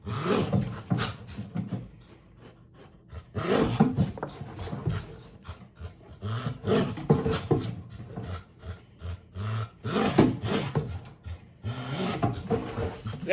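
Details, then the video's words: Gamble, a dog, barking during box work training: bursts of rough, deep barks come in clustered volleys with short pauses between them, some strained and growl-like, repeated at an uneven pace. "Gamble Box Work Barking"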